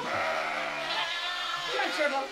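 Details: Farm sheep bleating on shearing day as the weather warms: a single long, wavering bleat with strong stacked overtones that quavers and rises toward the end, while a person calls the animals along.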